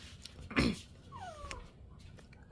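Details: A stray black cat, one of two brothers from the same 2023 litter, visiting for food in cold weather; a short downward-sliding meow follows a loud thump, while a woman keeps urging the cats to come in.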